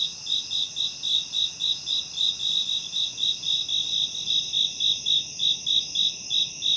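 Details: A cricket chirps in quick, even pulses of a high, pure trill around 3–4 kHz, nearly four per second.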